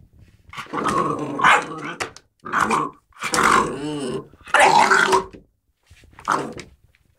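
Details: American Staffordshire Terrier Bosco, indoors and playing with a cat, gives rough, noisy growls in five bursts of about a second each, separated by short silences.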